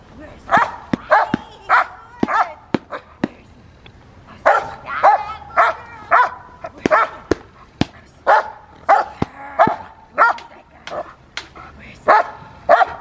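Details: Fire v LordsNLadies, a Rottweiler in schutzhund (IGP) protection training, barking steadily in quick bursts, about one or two barks per second with short pauses, every bark loud and clear.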